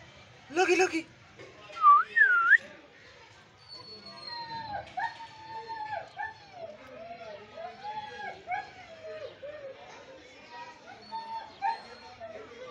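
A Siberian Husky whines and yodels in wavering, rising and falling tones after an opening sharp bark.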